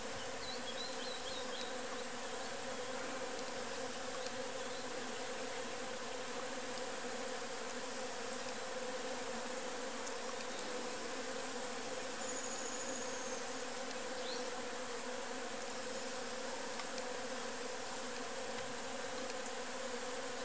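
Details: A nest of enxuí wasps (Protonectarina sylveirae) gives a steady, droning buzz of many wings humming together.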